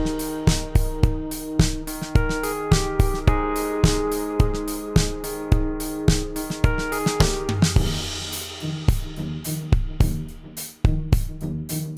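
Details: Drum-kit music with bass drum, snare and cymbals over a steady beat, with layered sustained tones and no animal voice.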